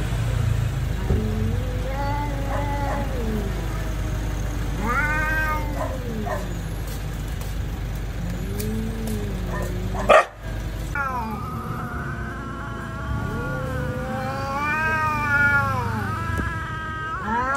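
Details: Street cats fighting, drawn-out wavering yowls rising and falling in long harmonic-rich howls, several overlapping, with a sharp thud near the middle and steady traffic rumble beneath.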